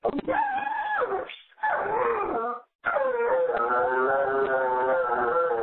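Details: A Dobermann howls along to happy birthday with sustained, wobbling notes that rise and fall. One short silence splits the phrases, and the final held note is steady and tonal.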